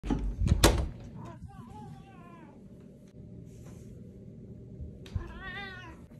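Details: Domestic cat giving two drawn-out meows, the first falling and wavering, the second rising then falling near the end, after loud knocks and a person speaking at the start, with a steady low hum.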